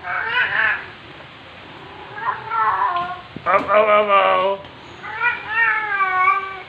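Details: Black female house cat in heat, filmed indoors in the late afternoon of 23 September 2020, yowling at her owner on arrival home: a series of drawn-out, wavering, rising-and-falling meowing yowls with brief pauses and a short sharp noise midway.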